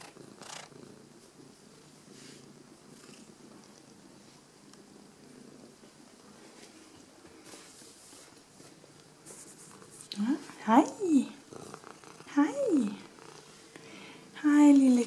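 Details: Domestic cat purring as it greets its owners on their return home indoors: a soft, steady low rumble for about ten seconds, then several short rising-and-falling chirpy meows and quiet affectionate Danish speech from a person.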